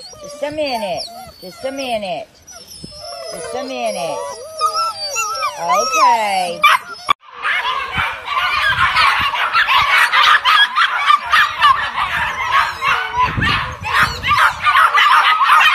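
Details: Belgian Malinois at a Moroccan dog farm: several seconds of high, bending whines and yelps, then a sudden burst of dense, rapid barking from many dogs together.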